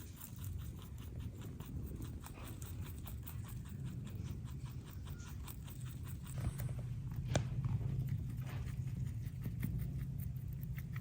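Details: A pair of pet rabbits munch fresh veggies, grasses and flowers, a quick run of crisp, dry crunching ticks over a low steady rumble.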